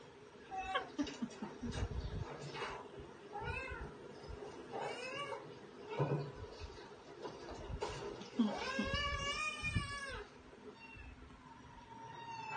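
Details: Pet cats Katty and Pchie indoors giving a few short, fainter meows among knocks and handling noise, ending in one longer, louder arched meow near the end; low rumbling room sounds throughout.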